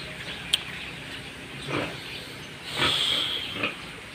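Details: Pig where a short, low-set sow is raised to produce piglets; scattered rough grunting bursts, then a longer, thin high squeal lasting nearly half a second, with a sharp click early on and constant hissy background.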